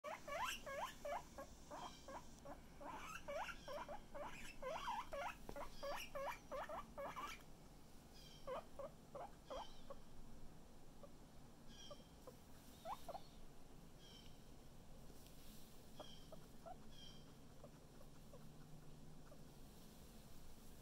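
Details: A pet guinea pig, said to be feeling much better today, gives rapid bursts of short squeaky calls for about seven seconds, then fainter scattered squeaks over a quiet indoor background.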